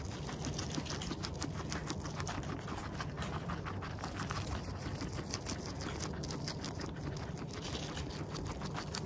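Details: Eating guinea pig recorded right at its nose and mouth: continuous crunchy chewing, dense clusters of sharp clicks through the whole stretch, over a steady low hum.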